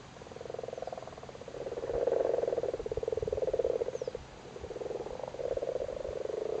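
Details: Several Irish frogs calling while spawning in a flooded cattle grid in Cork: a continuous low, rattling purr of overlapping croaks, swelling and fading in long pulsed bouts with brief lulls.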